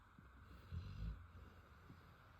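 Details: A sleeping female Rottweiler snores with low, rumbling breaths.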